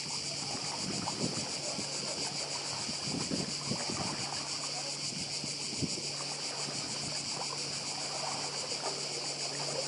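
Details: Cicada chorus on Croatia's Badija island: a continuous shrill, pulsing high-pitched drone over the broad hiss of waves from the nearby sea.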